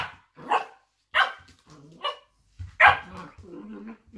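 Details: A blue roan working cocker spaniel gives sharp, irregular barks and low growly noises while play fighting with another cocker spaniel.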